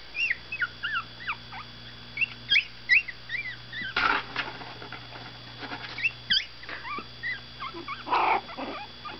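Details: Miniature Pinscher puppies, 17 days old and waking from a nap, give a stream of thin, high squeaky whimpers that bend up and down in pitch.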